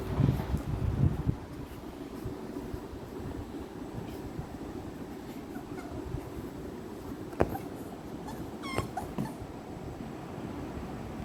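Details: Mikku, a pet American Bully puppy in Kerala, gives a few short, low whimpering sounds in the first second or so. A steady rumbling background hum follows, broken by occasional sharp clicks.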